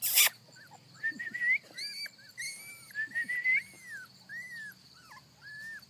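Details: Young puppies from a litter on their first trip outside, giving high thin whimpers and whines in short rising and arching notes, with a person softly calling them near the end.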